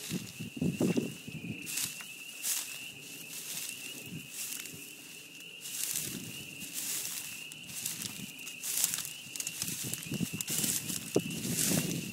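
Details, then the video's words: Spring chorus of spring peepers at a beaver pond: a steady shrill band of high peeps runs throughout, overlaid by frequent loud crackles, thumps and rustling nearby. "Frog Song at the Beaver Pond"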